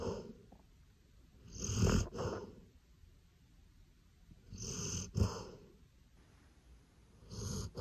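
A Golden Retriever snores in slow, rumbling breaths, roughly every three seconds.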